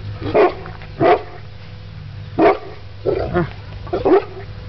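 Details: Mastiff puppies about 11 months old playing with a horse, barking: five deep, gruff barks spaced irregularly over four seconds, with a person speaking softly nearby.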